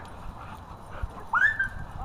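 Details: Pet dog at a dog park playing with a newly installed tetherball; a single rising then gently falling whine-like call near the end, preceded by a person speaking and soft background noise.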